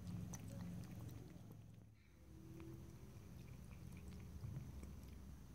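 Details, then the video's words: Pet cat lapping and licking water: quick, fairly even wet taps about four per second, pausing briefly near the middle, over a constant low background drone. "ASMR Cat: Drinking, Lapping and Licking Water"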